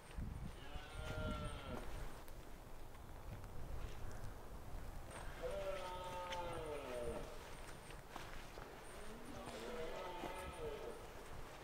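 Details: Rutting red deer in the Scottish Highlands in autumn, a stag with a small harem; three long, groaning roars spread over about twelve seconds, with steady background rustle and faint high ticking.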